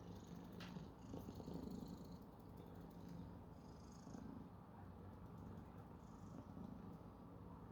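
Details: Male domestic cat purring while yawning: a steady, low, rumbling purr runs throughout with a slightly pulsing texture, and a few faint higher rustles or breaths are heard above it.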